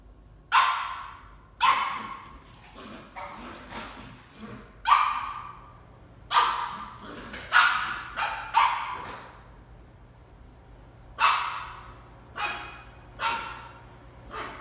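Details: Shetland Sheepdog puppy named Toby barking at a tennis ball while playing: sharp, bright barks in bursts, eleven or so over fifteen seconds, some in quick pairs, with quieter yips between and a faint steady hum underneath.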